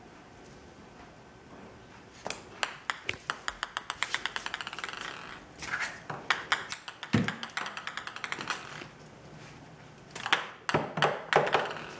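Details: A ping pong ball bounces rapidly and repeatedly on a hard floor indoors, with quieter pauses between runs of bounces.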